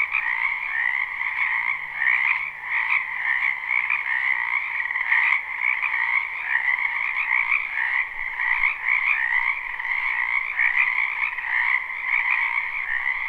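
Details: Frogs chorusing in a wetland behind a house in spring, live unlooped recording: a dense, continuous overlapping chorus of trilled croaks centred in a high band with a lower harmonic band, steady throughout with slight pulsing swells.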